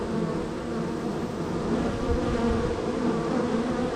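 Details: Busy honey bee hive, the third on a row, colony extremely active that day with bees coming and going: an unbroken layered drone of many wingbeats, low and even, with faint flickering tones near the top of the hum.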